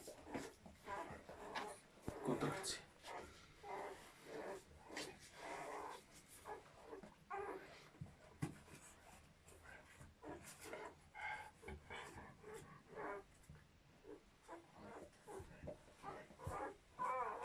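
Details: German Shepherd dog in labour, delivering a litter of seven puppies indoors; fast rhythmic panting in short broadband bursts about twice a second throughout, with faint background voices.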